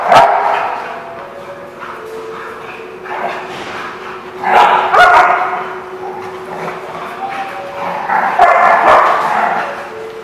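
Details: Dogs at The Barking Lot, 09/12/2016: loud, broad bursts of barking come in clusters at irregular intervals over a steady hum, with thin whining tones and murmuring voices in the gaps.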